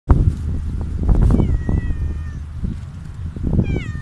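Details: Hungry stray cat meowing loudly for food outdoors; a drawn-out descending meow near the middle and another falling meow at the end, over heavy low rumbling background noise.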